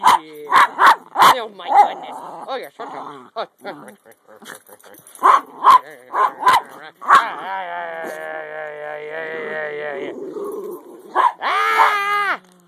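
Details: During the "get you game", Topper, a 10 lb Jack Russell Terrier, gives a string of quick yaps and grumbles, then a long, sliding howl and a final rising whine, with a woman cooing "you big baby" between.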